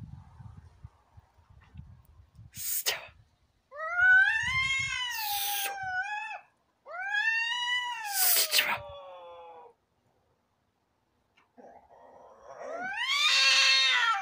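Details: Domestic cats fighting, trading loud arching yowls that rise and then fall, broken by sharp hisses, with a final climbing screech at the end; quiet gaps separate the outbursts.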